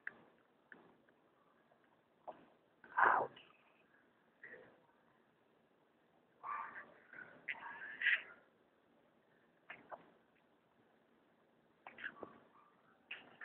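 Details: A young pet striped hyena cub gives short, strained squeals and whines in irregular bursts at feeding time.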